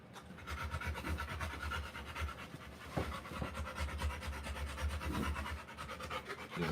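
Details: Rottweiler mother in labour, panting as she delivers her litter of puppies; steady rapid breathy panting with a low hum underneath and a few faint clicks and rustles.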